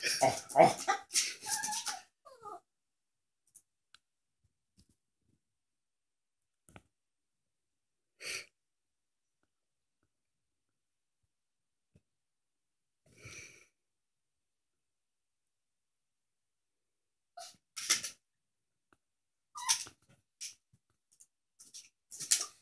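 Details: Buddy, a Teacup Yorkshire Terrier, barks indoors at a cat shown on a laptop screen. A burst of sharp, high yapping barks opens the clip, then long quiet gaps before several more short, clipped barks near the end.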